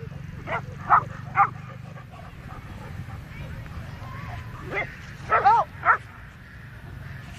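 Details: Labrador golden retrievers meeting a black goat on a walk, recorded by phone; a few scattered barks early, then a short cluster of louder barks near the end, with a wavering vocal sound between and steady low background noise.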